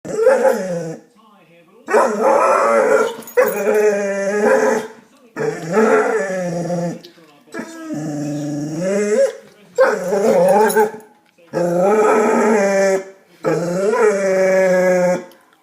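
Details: Pet dog making noises at a cat: a series of drawn-out, harmonic, moaning howl-like vocalizations, each lasting about one to one and a half seconds, separated by short pauses, some rising and wavering in pitch.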